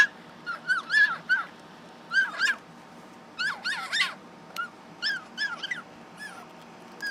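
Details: A pet fennec fox gives bursts of shrill, arching yelps and squeaky whines, with several quick notes per burst; fennecs scream loudly even when happy.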